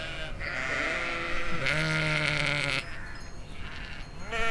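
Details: Domestic sheep (Ovis aries) in a field in the Chiltern Hills in summer 2025 give long, wavering bleats with a strong nasal, harmonic-rich tone.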